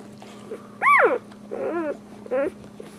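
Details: Newborn Boxer puppies breastfeeding from their mother give three high, arching whimpered cries in quick succession, each rising then falling, over a steady low hum.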